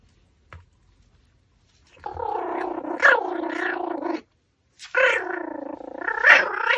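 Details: While gnawing a raw pork backbone indoors, a Pomeranian makes two sustained, harmonic, slightly wavering whimpering vocalizations, each about two seconds long, separated by a brief silence, with a faint tick at the start.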